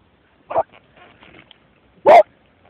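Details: Bud, a smooth-haired Jack Russell terrier, deep down a rabbit hole at Perton near Millride, Essington, gives two short muffled barks about one and a half seconds apart, with faint scrabbling sounds between them.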